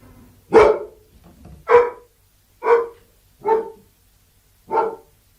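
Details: Five loud barks from a Labrador Retriever, coming about once a second at an uneven pace. Each bark is short, harsh and mid-pitched, with quiet gaps between them.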